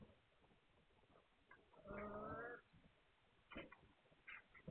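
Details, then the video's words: Hungarian Vizsla puppies recorded on 9 March 2021: one short, strained, harmonic whine rises and falls for under a second amid faint background shuffling and a few soft squeaks afterwards. "Magyar Vizsla Welpen"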